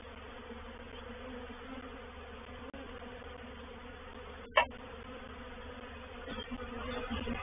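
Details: Reproductive swarm of honey bees moving into a bait hive, or swarm trap, at Painted Peacock Manor on 04/07/21; a dense steady hum of many wings fills the recording, broken by a sharp knock midway and swelling slightly near the end.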